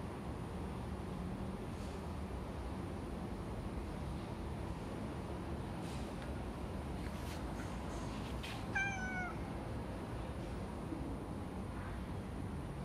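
A calico cat gives a single short, slightly falling meow over steady background hiss.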